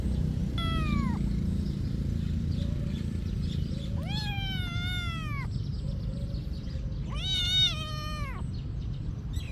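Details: Cat living at a monastery meowing three times: a short falling meow, then two longer drawn-out, wavering meows a few seconds apart, over a constant low background hum.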